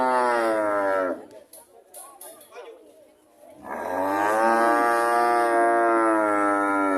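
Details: Cows mooing: a deep harmonic moo cuts off after a second, a pause with faint clicks and shuffling follows, then a second long, steady, full-voiced moo runs to the end.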